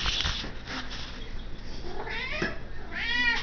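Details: Domestic cat indoors demanding to be fed: a few meows, the clearest a rising-falling harmonic cry near the end, while a person asks where it is.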